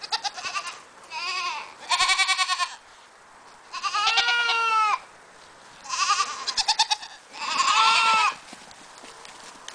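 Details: Cameroon goats bleating repeatedly, five loud wavering, quavering bleats with trembling vibrato, some rising then falling, spaced about two seconds apart across the recording, with quiet pauses between them.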